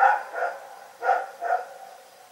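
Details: Night barking from Rex, a dog: four short, harsh barks in two loose pairs, each with a clear ringing pitch, against a still background.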